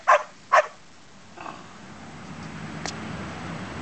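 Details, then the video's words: Domestic dog demanding to be petted gives two quick loud barks about half a second apart, followed by quiet room noise and a faint click. "Barking because we wont pet him"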